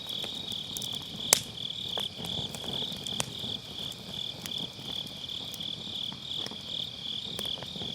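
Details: Autumn-night grass insects near a round fire-pit campfire, captured on a Sennheiser MKE600 with low cut, keep up a dense, unbroken high-pitched ringing while occasional loud snaps of firewood punctuate it, one sharp pop early on.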